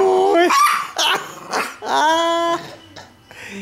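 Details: Leon, a two-year-old, four-pound pet Chihuahua, indoors guarding a T-bone steak bone and intimidating a Doberman during play; high, harmonic snarling yaps and drawn-out growly whines come in bursts, mixed with a man's voice and laughter in a small room.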